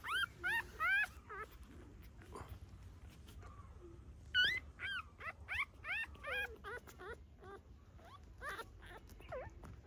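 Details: Separate short, rising-then-falling squeaky whimpers come in little bursts with brief pauses between them, at the birth of a litter of puppies to a mother dog in a hidden corner.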